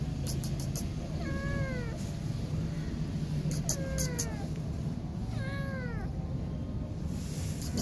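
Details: Kitten left alone by its mother cat and too scared to be touched, giving three short, plaintive, downward-sliding meows about two seconds apart against constant low rumbling noise.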